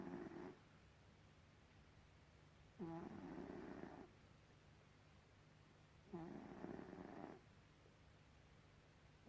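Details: Snoring from Gribouille the cat, coarse rasping breaths with a brief whistly onset, repeating roughly every three to four seconds against a faint constant low hum.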